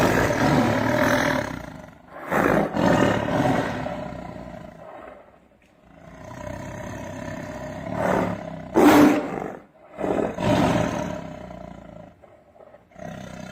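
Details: Roaring tiger out on a road: several loud, raspy roar bursts with quieter gaps between, a long lull near the middle, then strong rough roars again toward the end.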